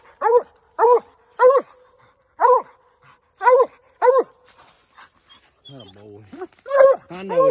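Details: A Redbone Coonhound on a night raccoon hunt bays at a treed coon, giving seven hoarse, ringing barks roughly every half second; a man then speaks to the hound as the barking resumes.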